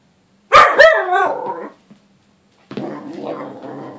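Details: Small dog shouting at a Bengal cat gives a loud burst of two quick harsh barks that trail off, then after a pause a rougher, noisier vocal stretch follows.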